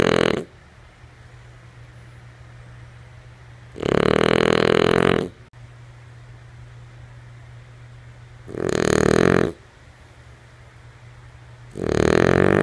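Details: Female French Bulldog Lulu snoring in her sleep: the tail of one snore, then three rough, rumbling snores about a second and a half long, three to five seconds apart, with a faint low hum underneath.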